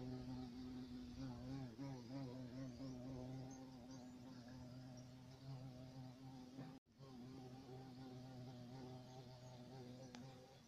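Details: Large black European carpenter bee droning continuously, a deep even hum with stacked overtones and gentle pitch wobble, cut by a short dropout near seven seconds before the buzz resumes.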